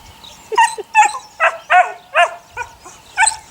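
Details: Eight-week-old puppies of a neighbour's dog named Sunny, part of a litter of six, give a run of short high yips and squeaky barks, about eight sharp notes spaced roughly every half second, with quiet background between.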